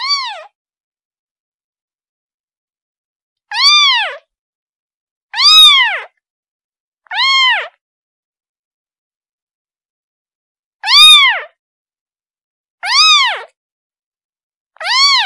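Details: Calling for its mother, a kitten gives loud, harmonic meows that swell up and fall away, some close together and others after pauses of several seconds; nothing else audible.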